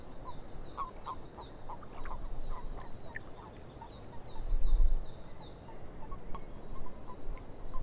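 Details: Frogs calling in a swamp, a quick run of short, low croaks repeating several times a second, with high thin bird chirps above and a steady deep rumble underneath.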